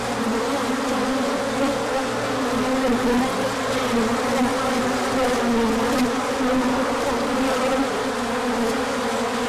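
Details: Bees pour out for a big orientation flight in spring sunshine after a cold spell, on 24 March 2024. Many wings form a continuous droning hum with gently shifting pitch bands, unbroken for the whole stretch.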